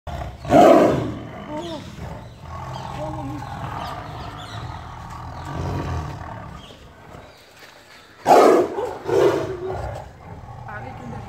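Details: Caged tiger in a zoo, heard from very near: two loud, rough roaring bursts, one near the start and another around eight seconds, with low murmuring in between and people talking nearby.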